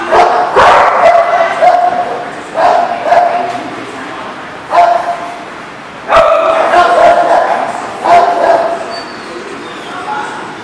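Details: Dog barking on 19 November 2018; loud, abrupt barks arrive in clusters every one to two seconds, with brief yips between them and a voice faintly heard behind.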